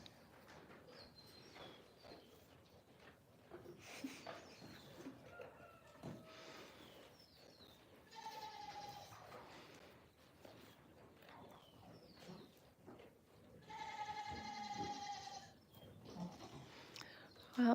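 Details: Goat (Capra hircus), bleat: young males demanding food at breakfast time.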